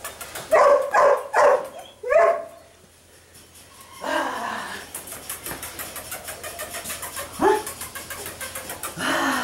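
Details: Mika, a sable-coated female puppy eight weeks old, gives four quick high yappy barks in the first two seconds, then quieter scattered yips and scuffling sounds follow.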